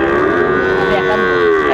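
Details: Sahiwal bull calves at a cattle market on 20 April 2024, bought by an expatriate from Qatar: a steady, drawn-out moo with a level tone holding for nearly two seconds, and a man's voice discussing prices faintly behind.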